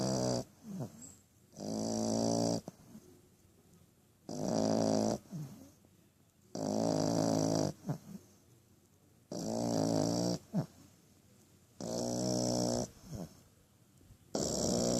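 A French Bulldog puppy snores with loud, rasping breaths about every two and a half seconds.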